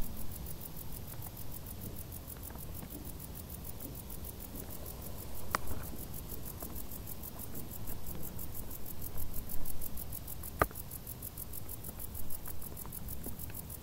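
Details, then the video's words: Crickets of the tall summer grass produce a dense, fast series of high chirp pulses, steady across fourteen seconds, accompanied by a soft low rumble and two sharp snapping clicks. "Grilli | suoni dall'erba alta"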